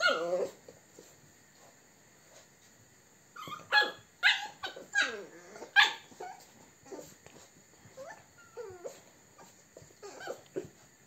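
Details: American Staffordshire Terrier recorded on 29 April 2022: short sharp yelps and high whines clustered in the middle, with a steady high hiss running through and quieter stretches between the bursts.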